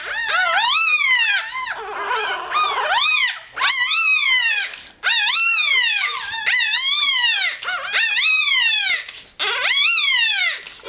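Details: Hours-old Irish Terrier pup piping in search of warmth and milk: near-continuous shrill, arched whines, several per second-long burst, with brief breaks roughly every one to two seconds.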